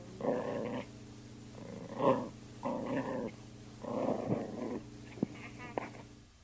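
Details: Playful poodle in 2001 giving four throaty, rasping growl bursts in quick succession, followed by two brief sharp clicks, with a constant low background hum.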